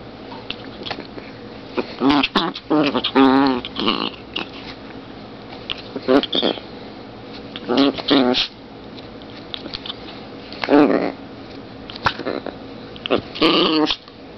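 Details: Zombie, a 2.7 lb long-haired Chihuahua female, growls during play in a small room: about seven short wavering, buzzy snarls in bursts spread over fourteen seconds, separated by quiet gaps with light scuffling.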